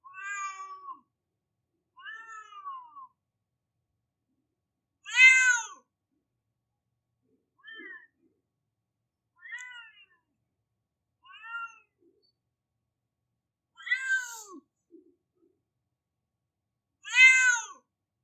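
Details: Crying domestic cat, its baby-like wails repeated about every two seconds: bending, harmonic meows, some brief and soft, others loud and strongly rising-falling, nothing else audible.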